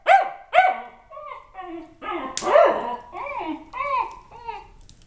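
A corgi gives two sharp barks, then a string of rising-and-falling, yodelling howls.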